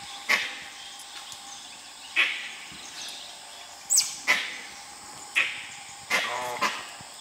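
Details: Dholes trying to hunt a tiger in Nagarahole National Park: sharp, explosive calls ring out about every one to two seconds, sometimes in quick pairs, over a faint steady forest hiss.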